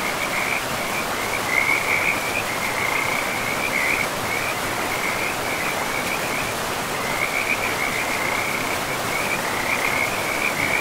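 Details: Forest river scene with frogs: a near-continuous band of high, rapid trilled calls, briefly pausing around the middle before resuming, all layered over loud, steady rushing water in a pristine moss-covered woodland.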